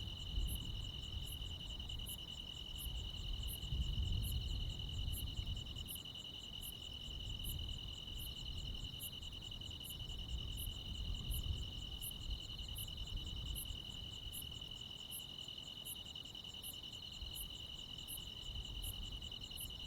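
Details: On a midsummer night in the countryside, crickets and other insects keep up a ceaseless high-pitched buzzing trill, with rhythmic, sharper high chirps repeating steadily. A heavier low rumble rises and falls throughout.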